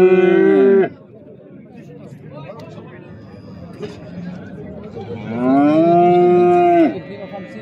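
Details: Two loud, sustained moos from fattening calves at the Souk Sebt Settat market, one short bellow at the start and a longer one near the end, separated by quiet murmuring of the crowd.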